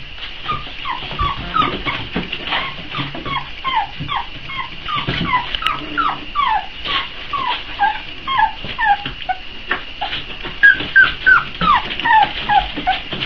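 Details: Hungry Boxer pups, four weeks old, awaiting their feeding, keep up a continuous chorus of short falling whines and yips, roughly three per second, with some louder high squeals near the end.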